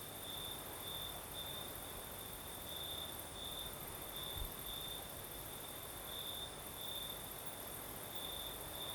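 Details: Southern Crimea at night, crickets singing in a light night breeze: an unbroken high trill broken into brighter pulses about once a second, layered over even, hissing wind.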